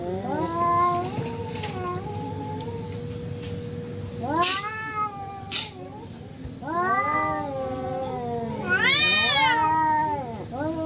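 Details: Wild domestic cats fighting unprompted, including an orange cat that loses: low steady growling moan, then sudden loud rising yowls and a high wavering wail near the end, with two brief sharp bursts.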